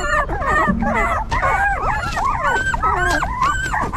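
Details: A tangle of newborn puppy whimpers, many overlapping squeaky whines from a litter cared for by their stray mother, with one short low growl-like tone near the start and constant low rumble.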